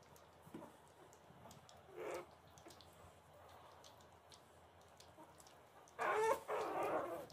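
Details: Puppies at play: mostly quiet background, a short harmonic yelp near two seconds, then a burst of loud, bright, overlapping yips and squeals in the last second and a half.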